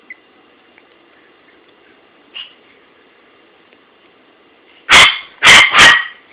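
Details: Buddy the dog barks at his toy, captured on an Android phone. A quiet stretch with one small yip gives way to three loud, rapid barks close together near the end.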